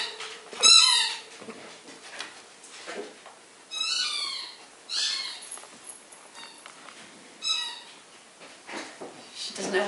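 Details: Pug puppy Audrey, a girl of eight weeks, at her first meeting with household dogs Molly and Knarley; brief piercing squeaks and yelps recur every second or two over a quiet room, with occasional soft human talk.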